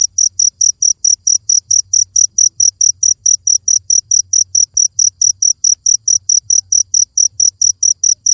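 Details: A cricket keeps up fast, regular high-pitched chirping, short clean pulses repeating several times a second, with a soft low background murmur.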